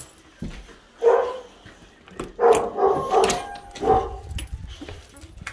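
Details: Excited boxer dogs collected from daycare and waiting to be taken home for feeding, barking in short bursts: one bark, a pause, then three quick barks and a final one, while their owner talks to them.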